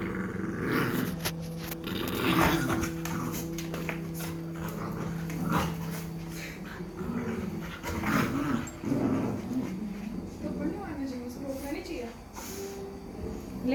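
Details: Cane Corso puppy growling at a two-year-old Labrador indoors; low rumbling growls rise and fall in bursts over the whole stretch, mixed with scuffling play noises and background music.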